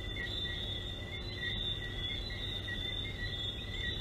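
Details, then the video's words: Frogs calling at night in a dense chorus, heard as steady high-pitched ringing tones with short whistled notes popping out at irregular intervals, over a constant low rumble. "Sandals Frogs"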